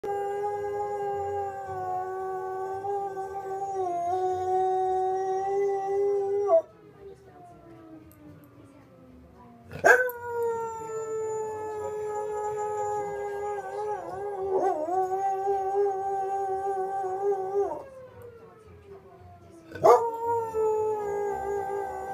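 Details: Soft Coated Wheaten Terrier howling at the fire whistle, as it always does: long, sustained, wavering howls in three drawn-out bouts, each ending in a sliding drop in pitch, with short quiet gaps between them.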